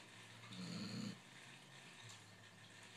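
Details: A basset hound snores with one low, rumbling breath, followed by quiet breathing.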